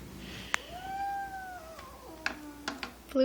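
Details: Domestic cat growling in disdain at a new kitten in the family home; a single long, steady moaning yowl that dips at its end, with brief clicks and faint human speech.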